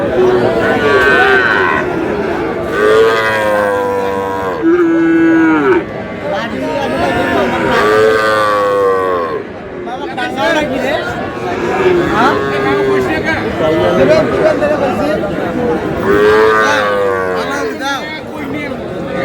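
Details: At a cattle market, Sahiwal bull calves bought by a Noakhali farmer on 21 April call out with strong bellowing moos roughly every two to three seconds, some rising then falling, while people talk in the background.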